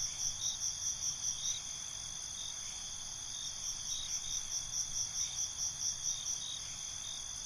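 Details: Cricket chorus at night in binaural ambience: constant shrill trilling with bouts of quick rhythmic chirps at the start and again through the second half, about several pulses each second.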